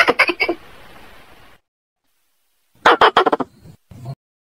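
A squirrel gives harsh, rapid chattering bursts to call in a female.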